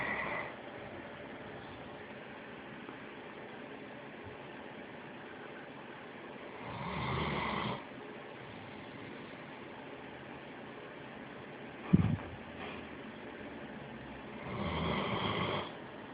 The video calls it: Great dane snoring